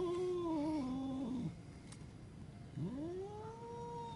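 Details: Angry cat's quiet, low yowls indoors: a wavering moan that sinks and fades, then after a pause a second wail rising and holding steady, over a hissy background.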